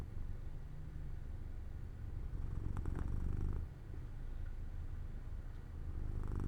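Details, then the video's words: Jojo, a pet cat, purring while falling asleep near an open window in the sunlight; a steady low rumbling purr with a brief louder, breathier swell in the middle. "Jojo falls asleep near an open window in the sunlight - My Cat Makes Sounds 3"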